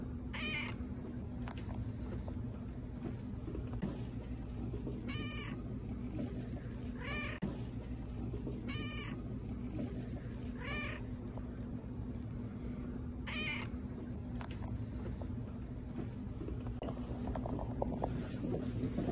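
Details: Pet-store cat Patti meows again and again, about seven short harmonic cries spread across the stretch, some in quick pairs, against the constant low hum of the shop.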